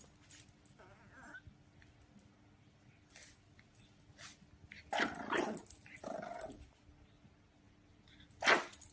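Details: French Bulldog puppies at play give scattered rough, noisy growls and short barks, with a louder burst near the end and quiet gaps between, over a faint steady hum.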